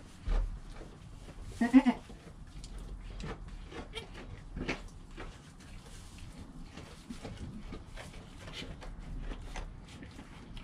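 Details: Goat kid Joel in his first hour of life with his mother Penny, GoPro recording: a short, strained bleat near two seconds, followed by quiet rustling, clicks and faint low hum.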